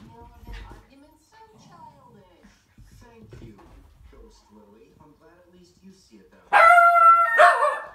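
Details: Shetland Sheepdogs, a tricolor named Sky and a blue merle named Trevor, filmed in February 2017; after soft Dutch speech, a sudden loud harmonic bark followed by a second bark near the end.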